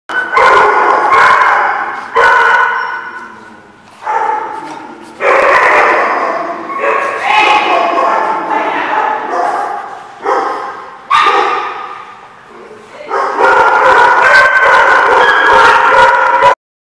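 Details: Dogs at The Barking Lot on 10/17/15, loud repeated barks and yips in bursts of a second or two with short pauses, several voices overlapping near the end, mixed with talking.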